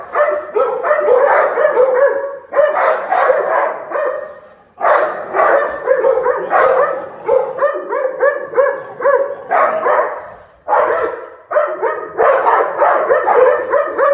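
An American Pit Bull Terrier snarls in harsh, rumbling bursts that come in bouts every couple of seconds.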